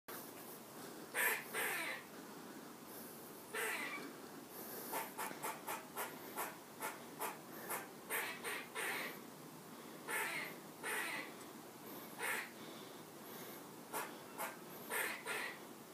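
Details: Screaming squirrel: harsh, noisy bursts spread over a wide pitch range, given singly or in quick runs of short rasping pulses, loudest around five to nine seconds, with brief pauses between bouts over a faint hiss.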